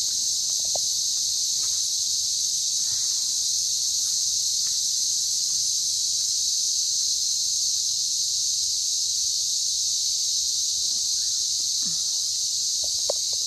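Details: Cicadas droning in the Australian bush in early January 2024, described as a trusted alarm clock: an even, piercing high hiss throughout, with scattered faint ticks and taps beneath it.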